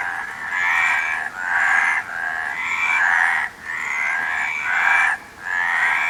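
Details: Continuous frog chorus of raspy, buzzing croaks running together in swelling bursts roughly every second and a half, with short dips between phrases and faint hiss beneath.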